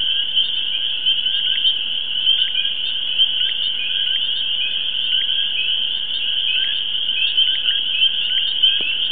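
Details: A pond in the NYC suburbs rings with a steady, shrill frog chorus, an unbroken high trill layered over lower, intermittent chirps from other callers, with no pause across the whole stretch.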